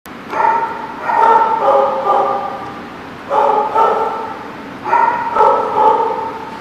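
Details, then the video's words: Dog barking in short bursts of bright, harmonic yelps, grouped in twos and threes with brief quiet gaps between clusters; a faint background hiss persists. "The Barking Lot"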